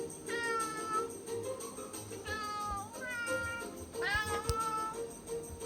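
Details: Domestic cat meowing on 10 October 2020 while watching footage of a cat catching a pigeon and pawing at the TV screen; three drawn-out, wavering meows with rich harmonics, steady faint tones and sounds from the television behind.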